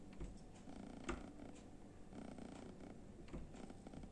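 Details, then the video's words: Kitten sleeping indoors in front of the oven, snoring: a soft, steady low rumble with faint rhythmic breathing pulses, quiet throughout with a brief louder click near the middle. "Cute Kitten is sleeping in front of the oven with snoring"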